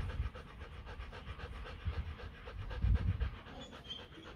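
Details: Kute Gervi, a 15-month-old female Rottweiler, offspring of champion Bruno tí hon and Cynia Gervi, pants in quick rhythmic breaths under heavy low rumbling handling noise, during a fourth check of her breeding cycle.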